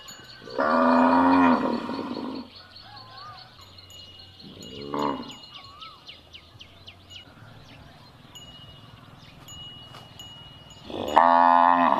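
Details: Moo of cattle intended to help find a missing calf: a long bellow opens, a brief softer moo follows, then another loud bellow closes, over light bell-like chimes and occasional birdlike whistles.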